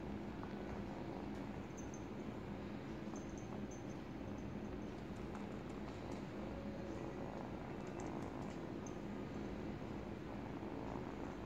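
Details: An 8-week-old kitten purring while teething on a baby blanket; a steady, low rumbling purr runs throughout, with faint soft clicks and rustles from chewing the fabric.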